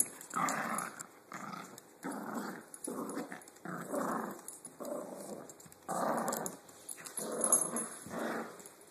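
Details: Korean Jindo dog playing tug of war indoors with a small Dachshund-Papillon mix; rough, rumbling play growls in bursts of roughly half a second to a second, about eight or nine in a row.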